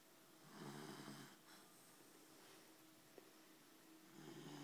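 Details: Sleeping Labrador Retriever, indoors, giving one rough, breathy snore that swells and fades, followed by quiet hiss and a second breath beginning at the end.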